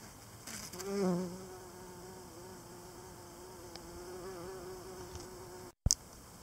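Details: Pollinating bees gathering pollen in the evening: a steady low droning buzz that holds for several seconds, with a louder passing swell early on and a brief click near the end.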